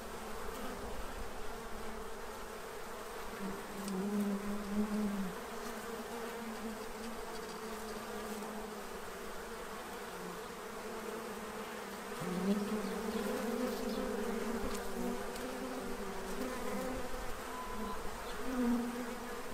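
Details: Bees feeding from a tray to prepare for winter in Central Illinois; a soft background hum with occasional brief louder buzzes from bees passing close, spaced several seconds apart.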